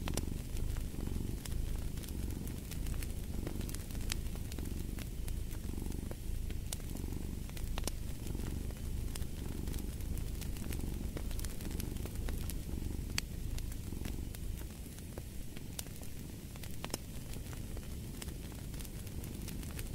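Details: Low, continuous cat purr rising and falling in a slow breathing rhythm, roughly once a second, over twenty seconds, with frequent snapping crackles from a wood fire in the background.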